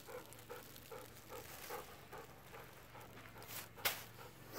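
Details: Golden Retriever panting during a long afternoon walk near home, with Kohaku and Ibuki visiting the panda they once feared; steady breathy huffs repeat about twice a second, with a sharp click near the end and faint voices.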